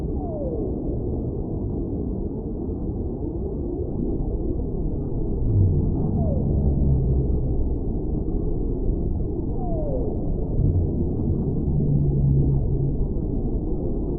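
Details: Whale sounds: three brief downward-sliding cries spaced a few seconds apart, plus two low, sustained droning tones in the second and final thirds, all within a heavy, steady underwater rumble.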